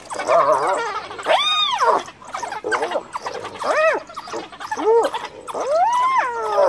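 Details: Cornered female hyena calling for help as wild dogs press in beside her dead cub; a rapid series of arched, whining squeals rising and falling sharply, some high and piercing, about one per second over constant background shuffling.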